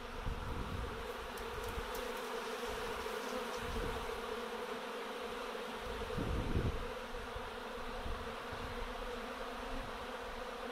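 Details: A small swarm of honey bees circles while settling onto a frame and mesh during swarm catching, filling the air with a dense, steady, low droning hum.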